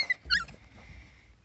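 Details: Five-week-old Husky puppies, Siberian babies, indoors; a short pair of high squeaky whimpers, then quiet with a faint steady tone in the background.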